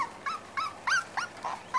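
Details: A rapid string of small, squeaky whimpers from five-week-old Corgi puppies of the Sugarbaby litter, about six bright upward-flicking cries, each roughly every 0.3 seconds, in a quiet room.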